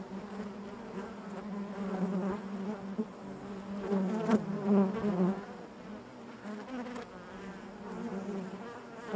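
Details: Continuous drone of honey bees within the hive, layered buzzing tones rising in loudness around the middle as nearby bees fly past, then easing back to a steady hum.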